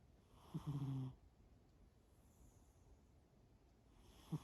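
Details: Snoring from Shimao, a sleeping cat: one half-second buzzy, low drone opening with a small click, then quiet breathing until the next snore begins.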